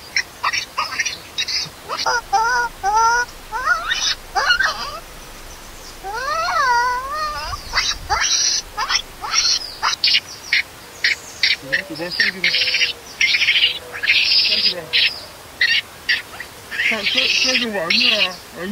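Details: Baby monkey crying loudly and angry at being left alone by its mother: dense run of harsh, high screeches with some wavering tonal wails, plus lower murmuring sounds in the background.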